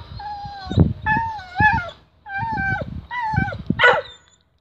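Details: Whippet given a tripe stick, performing its usual excited ritual before eating it; a series of high wavering whines and yips, several bent rising-falling notes with short breaks, over a person's quiet voice.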